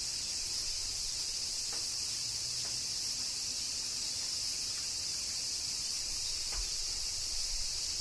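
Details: Kyoto, Japan, summer rain and cicadas: a constant bright shimmering drone of insect song with scattered soft taps and a low background rumble.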